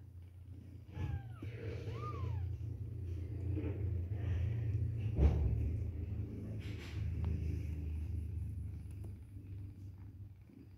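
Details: At milk time, two-week-old kittens let out a pair of short, arched mews early on. A steady low rumble runs beneath them, with faint rustling throughout.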